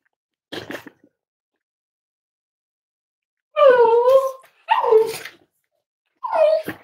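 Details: Five-week-old Cavalier King Charles Spaniel puppies from Myra and Remy's litter at Red Barn Cavaliers, indoors during weight checks on a chilly Thursday morning: a short yip, then three drawn-out whimpers with clear harmonics, each sliding downward.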